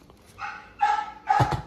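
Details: Rock, an XL American Bully, barks on his birthday while waiting for a treat before meeting his pups: three short, tonal, slightly whiny barks about half a second apart, with little else audible.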